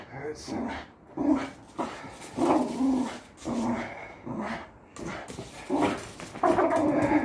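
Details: Patterdale Terrier growling during tug of war training, a string of rough, throaty bursts broken by short pauses, with a person speaking Dutch now and then.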